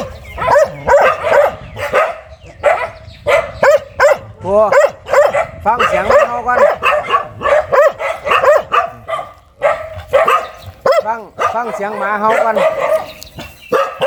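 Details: A very fierce dog barking hard in rapid, harsh bursts, some of them yelping and rising, several strung close together and others spaced out, with a person's voice faintly mixed in.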